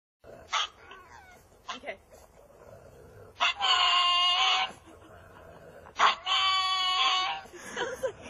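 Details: Dog vocalising in a way said to sound like "Batman": two drawn-out, strongly harmonic yowling calls of about a second each, with short sharp sounds in between.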